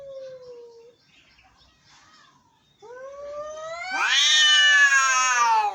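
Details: Angry cats meowing: a short level meow, a quiet gap, then rising wails building into a loud, strained, harmonic-rich yowl that holds to the end.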